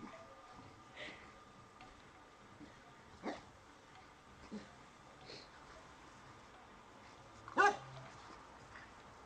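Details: Boxer dog playing with a dog statue gives one sharp, loud bark near the end, after a few soft thumps and scuffles over a low steady background hum.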